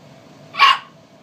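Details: Chihuahua, a small male dog indoors, barking because he wants back up on the bed after jumping off: one short, sharp, high yappy bark over quiet room hum.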